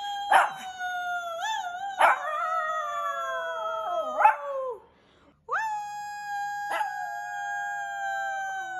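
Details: Shih Tzu dog howling in overlapping, wavering drawn-out notes with short sharp yelps breaking in, then a pause and a steadier long howl.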